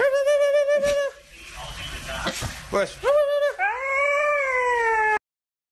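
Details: Siberian Husky puppies giving long, steady, howl-like tonal cries, broken by a noisy scuffling burst in the middle, then a final drawn-out cry sliding gently downward.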